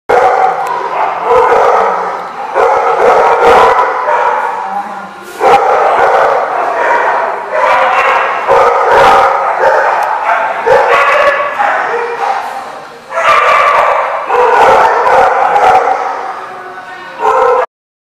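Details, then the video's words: Dogs barking at The Barking Lot, recorded 9/11/15: loud, dense runs of overlapping sharp barks and yips that come in bursts, with only brief pauses between volleys. "The Barking Lot"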